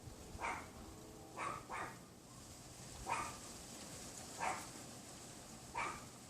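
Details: A neighbour's Pomeranian yapping behind a wooden privacy fence on a windy afternoon, February 6, 2015, around 3:18 PM, heard from a bedroom window: five sharp, short barks, one doubled, spaced about a second apart over a steady wind hiss.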